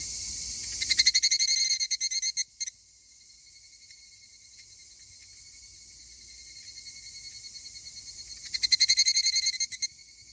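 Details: Two male higurashi cicadas, possibly fighting: rapid, high, metallic pulsed trills in two loud bursts, one early lasting about two seconds and one near the end, with a thin steady tone and quiet stretch between them.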